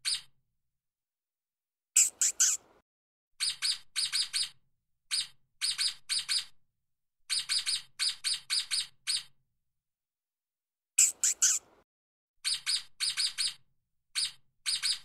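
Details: A stoat, also called ermine, chirps while running fast on the ground. Sharp, high, squeaky notes come in tight runs of two to four, with two louder, rougher bursts over scuffing noise.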